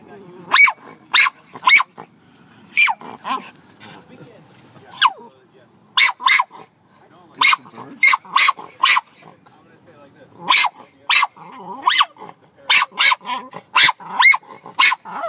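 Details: Domestic dog barking at birds, giving rapid runs of short, harsh barks in clusters of two to four, roughly twenty barks over fifteen seconds with brief pauses, over a faint murmur of voices.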